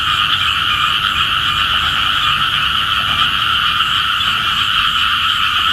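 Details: Many small frogs croaking together in the morning, calling for rain; steady, rapidly pulsed buzzing notes at two pitch levels form an unbroken wall of sound for the whole stretch.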